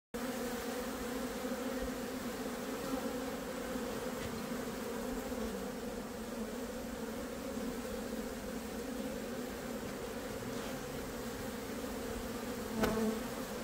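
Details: Honey bees working a frame of nectar and honey at a hive, a steady, dense, low buzzing hum of many bees, unbroken throughout, with one brief louder knock near the end.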